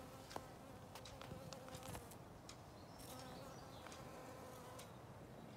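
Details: Western honey bees collect pollen and nectar in a yard on the first warm spring day, above 12°C, humming with a steady, low wingbeat drone, with brief clicks and taps overhead.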